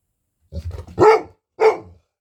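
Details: Golden Retriever named Aloha barking indoors during a lunchtime routine: a low grumbling lead-in, then two loud, sharp woofs about half a second apart.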